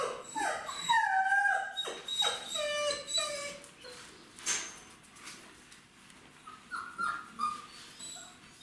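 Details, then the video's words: Indoors, a mother dog gives quick, clucking whines to gather her 29-day-old puppies in autumn 2021 before regurgitating food for them. "Donc là, la chienne que vous entendez glousser, c'est Horizon. Et quand elle fait ça, elle rameute la troupe."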